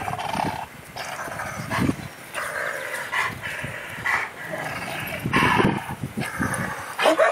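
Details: Two big dogs at play, giving short broken barks and growly vocal bursts scattered across the recording, with rustling and scuffling noise between calls.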